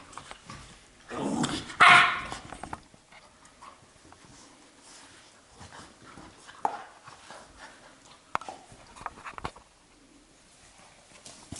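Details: A Labrador puppy playing wildly and romping with its mother gives a short, harsh bark-yelp early on, then quiet scuffling, thumps and soft clicks for the rest of the clip.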